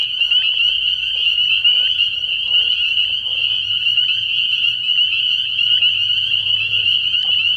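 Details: Night chorus of spring peepers at a frog pond early in the year, with countless high piping peeps merged into one unbroken, bright, whistling drone and a faint low rumble underneath.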